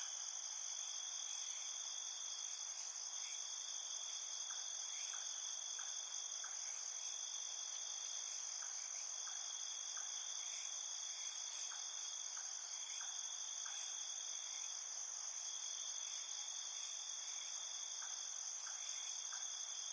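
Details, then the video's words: Field cricket song in a night field: several overlapping high, even trills form a constant ringing wall of sound, and faint short chirps recur irregularly beneath it. "Ambiance Night Field Cricket Sounds"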